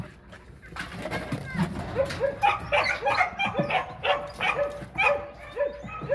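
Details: Border Collie going wild with eagerness to learn frisbee: quiet at first, then from about two seconds a steady burst of sharp, rising-and-falling yelping barks, roughly two per second, fairly loud and insistent.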